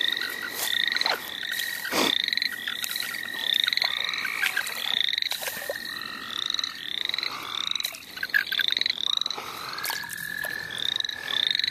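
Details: Dense frog chorus in the St. Olaf College Natural Lands during frogging: quick rising whistled peeps pile up from many callers over a sustained buzzing trill, punctuated by a few loud knocks.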